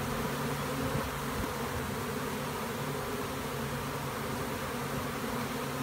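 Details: A giant honey bee swarm in a tree, 30 April 2017, gives a dense, steady, low droning hum of many wings as the bees leave to return to their original hive.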